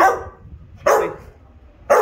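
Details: Three forceful barks from a Rottweiler answering repeated commands to speak during a training session, spaced roughly one second apart with quiet gaps between.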